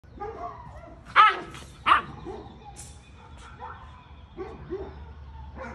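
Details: Giant Schnauzer barking at strangers in the neighbour's house: two loud, sharp barks about 0.7 seconds apart, surrounded by quieter low vocal sounds and faint background noise.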